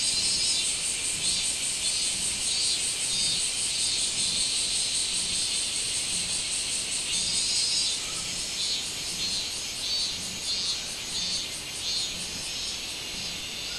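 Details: Minmin cicada calling on 24 July 2016: a dense, high, shrill buzzing that pulses steadily throughout, with brighter surges near the start and after the eighth second and soft rhythmic thumps underneath.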